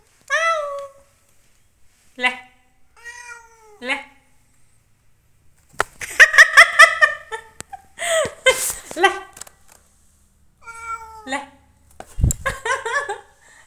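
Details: A house cat indoors meows repeatedly in short, bright mews spaced a second or two apart, while a person chatters to it in Hindi and bursts of clattering noise and music fill the middle.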